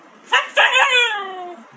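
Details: Husky in the Urals confronting a snowman: two short yelps, then a long harmonic whine that slides gradually downward and fades over about a second, in a quiet outdoor setting.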